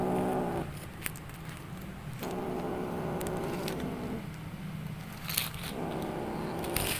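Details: Strange sounds from a playing kitten: three drawn-out, low, buzzy trilling calls, the middle one lasting about two seconds, separated by short pauses, with scattered clicks and rustles of play.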